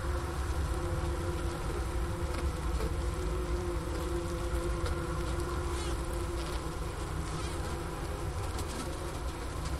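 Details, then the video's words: A honey bee colony hums inside the hive in winter, a steady low drone without a break, recorded in Wooster, Ohio, around 4 PM on January 16, 2024, at 15°F outside, near the inner-cover hole. "Bee Hive Sounds in Winter"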